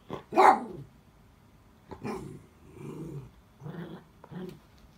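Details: Miniature Dachshund calling for help after its toy rolled under a bed, looking back at the owner; one loud sharp yelp, then a string of softer moaning, grumbling whines in quick succession.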